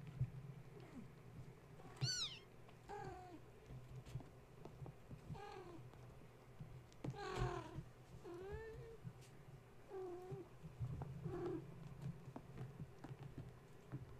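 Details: Gaia's kittens, woken at bedtime when a space heater was plugged in, meow repeatedly while playing and climbing: several high, rising-falling mews alongside lower, bent meows, spaced a second or two apart over a steady low hum and soft knocks.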